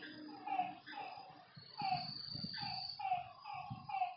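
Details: Frogs calling at night by a lake: short, bright, slightly falling notes overlapping in a dense chorus, with a steady high insect trill throughout and soft low rumbles beneath.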